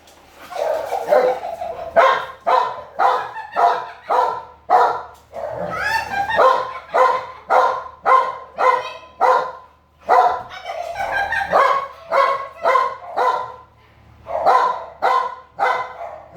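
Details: American Bully dog barking in long steady runs, loud harmonic woofs repeated about twice a second, with a brief higher, wavering yelp-like stretch partway through and short pauses between bursts.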